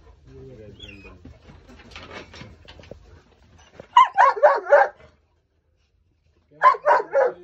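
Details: Cane Corso puppies in Delhi, India, after a man speaks in Hindi: a quick burst of four sharp, rough yelping barks, then silence, then a second cluster of three similar yelps.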